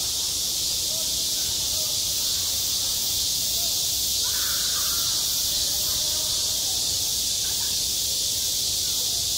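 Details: Midsummer cicadas on a school sports ground keep up a loud, steady, high-pitched whirring, while a short faint wavering call rises briefly near the middle.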